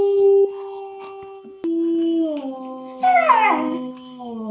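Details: Long-coat German Shepherd puppy aged two months howling: a level sustained tone, then a lower steady note, breaking into a rough wavering cry before settling back to a drawn-out howl.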